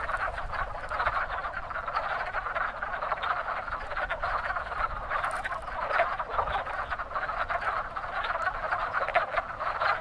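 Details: Many wood frogs at a very active pond in spring, early-season breeders, producing a continuous mass of short hoarse clucks, with a brief higher squeak near the middle.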